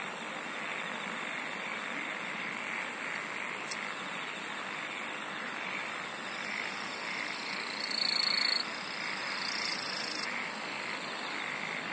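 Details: Many insects singing together: rhythmic, piercing high buzzes returning about every second and a half, a steady mid-high trill beneath, and a brief sharp click midway through.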